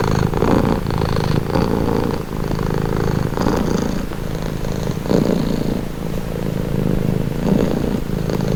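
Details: Domestic cat purring steadily, a low continuous rumble with gentle swells about every two seconds as breaths alternate, close and even, no other sounds.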